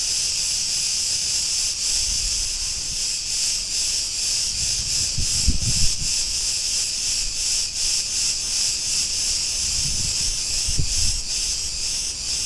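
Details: Street in Ierapetra, Crete, Greece, filled with the loud, continuous sizzling buzz of Cretan cicadas, pulsing rapidly, with occasional low traffic-like rumbles.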